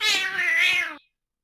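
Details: Domestic cat cry, also called a scream or pain shriek, a longer, more high-pitched kind of snarl; one strained, wavering shriek lasting about a second, rich in overtones, then silence.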